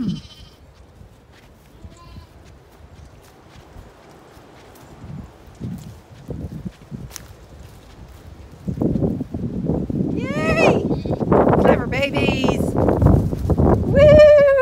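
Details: Zwartbles ewes and lambs on a regenerative farm in County Kilkenny, Ireland, hurrying to their evening field and meal. After a quiet start, loud overlapping bleating of many sheep takes over, with wavering rising and falling cries repeated in quick succession.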